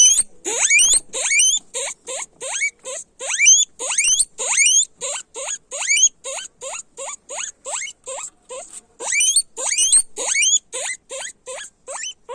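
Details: A long stretch of loud guinea pig squealing: repeated sharp rising wheeks, a little under two per second, loud bursts early and later softer, thinner calls alternating with stronger shrill ones.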